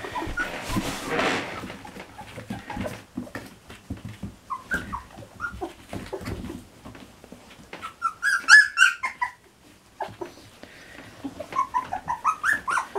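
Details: Three-week-old Standard Poodle puppies indoors on a rainy, snowy morning around breakfast time, giving scattered high whimpers and squeaky yips between rustling and handling noises, with a burst of sharper squeals near the middle.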